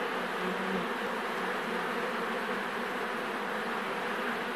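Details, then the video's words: Thousands of honey bees buzzing together, a dense, continuous hum with a steady drone and no breaks, filling the whole stretch evenly. "Des milliers d'abeilles qui bourdonne"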